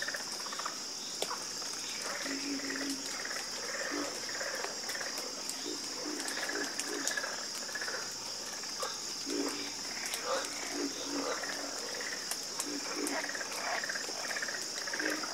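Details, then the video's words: Harmonious frog croaking heard as a busy chorus of short overlapping croaks and rattles, steady throughout, backed by a continuous shrill insect-like buzz high above. "Sleep Like A Baby With The Calming Sound Of Harmonious Frog Croaking"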